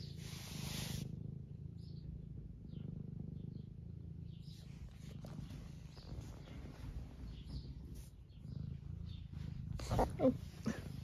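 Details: Eleven-year-old semi long-haired domestic tabby cat in the UK purring while being stroked and wanting attention; a steady low rumbling purr runs throughout with little else heard.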